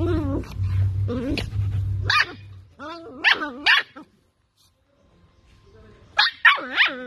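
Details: Toy poodle turning from well-behaved to fierce, letting out short yelping barks with rising and falling pitch in bursts, first over a woman's voice and low rumble, then a pause and a final quick series of three barks.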